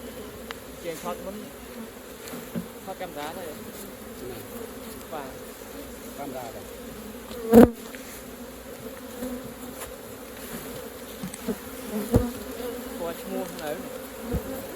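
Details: Honey bees at a hive opened for collecting raw honey: a steady low droning hum runs throughout, with soft clicks, one sharp knock near the middle and faint human voices in the background.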